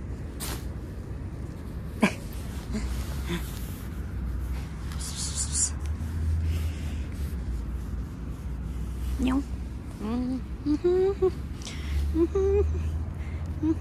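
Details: Roadside stray cat, hungry and after food from a school bag: a sharp clatter early on, then from about nine seconds a series of short, rising meows over a low outdoor rumble.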